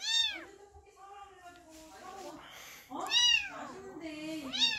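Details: A tiny kitten abandoned by its mother, at a rural house in Donghae, Gangwon, gives high, thin meows rising and falling in quick arcs, crying from hunger for milk, with people talking between cries.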